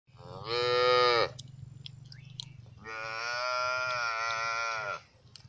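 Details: Lambs grazing outdoors give two drawn-out, wavering bleats, the second longer and steadier than the first.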